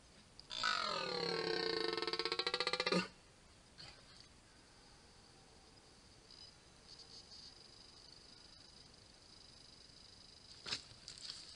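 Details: During the 2023 rut, a red deer stag, the strongest of the season, gives one loud, harsh, throaty roar, then falls silent.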